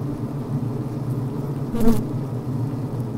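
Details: Healthy honey bee hive interior on the brood frame: low steady hum broken by a loud close buzzing bzzt from a worker wanting the recording device out of the way.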